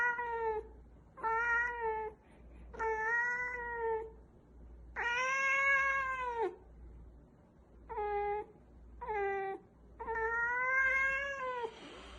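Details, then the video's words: Cat producing odd noises indoors: seven harmonic meows of varying length, some short and clipped, others long and arching up then down, coming at irregular intervals about every second or two, with a steady faint hum underneath. "Crazy Weird Cat Noises"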